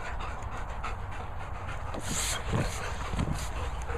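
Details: Two German Shepherds larking around in play, heavy rhythmic panting with breathy bursts and scuffling, steady background hiss.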